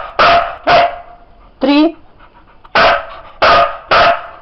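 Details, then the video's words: Siberian Husky counting by barks, five sharp barks plus one higher wavering yelp in the middle, spaced roughly half a second to a second apart, while a man counts aloud and praises the dog in Bulgarian. "DOG HUSKY SIZARA COUNT"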